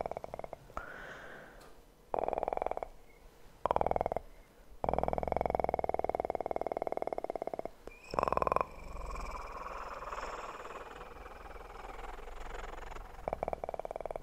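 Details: ASMR recording of a purring kitten, the purr coming in bursts of a second or more separated by quiet gaps, with occasional clicks and rustling between bursts.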